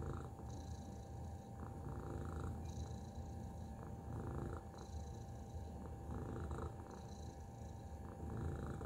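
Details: Steady rumbling purr by the house cat Tacy, deep and grainy, rising and falling gently in breath-like swells, with a faint continuous tone underneath.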